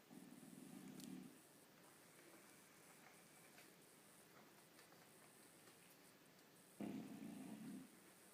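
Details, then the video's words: Bulldog sleeping upside down, snoring: two rough, buzzy low snores about a second long, one at the start and one near the end, with quiet room hiss between them. "Funny Bulldog snoring upside down."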